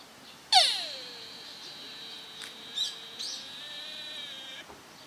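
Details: Deer at Nara Park, Japan, on 30 March 2022, give a single loud, sharp-onset call that drops quickly, then holds as a long, steady, nasal tone for about four seconds. Faint background noises are heard.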